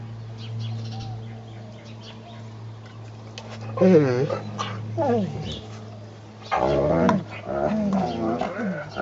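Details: Eleven-month-old Great Dane Brutus bugging fellow dogs Lucky and Piko as Lucy looks on; drawn-out, bending whines and grumbling moans in bursts near the middle and end, over a steady low background hum.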